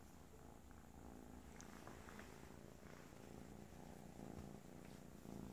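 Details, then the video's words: Kisha, a little kitten, purring loudly like a freight train: a steady, low, rumbling purr runs unbroken through the whole stretch, with a few faint soft clicks and rustles indoors. "Cutest Little Kitten Purrs like a freight train."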